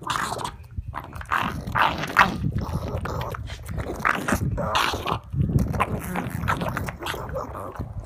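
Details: A pug eating broccoli, giving snorts and grunts between crunchy chewing bursts that come in irregular clusters, with short quiet gaps between them.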